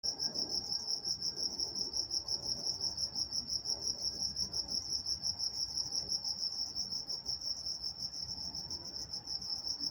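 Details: Crickets chirping at night in Walnut, California: a steady high-pitched pulsing trill, about three chirps per second, with a faint overtone above and a low murmur of background noise.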